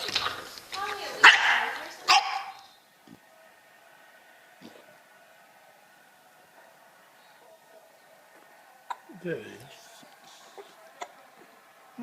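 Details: Bulldog making funny noises: a few loud, harsh barks in the first two and a half seconds, then near quiet with faint clicks and a brief low voice later.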